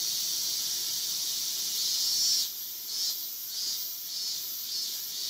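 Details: Male Yabukiri katydid sitting on a guardrail, Iwanuma, Miyagi, Japan, 20 August 2021; a high hissing buzz that falters after about two seconds into uneven pulses of varying loudness.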